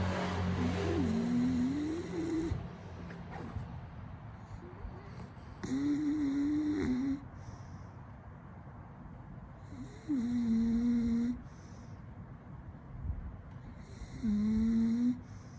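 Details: A female English Bulldog snores with her tongue out after burrowing into her owner's lap, giving long, rattling, low-pitched breaths, one about every four seconds.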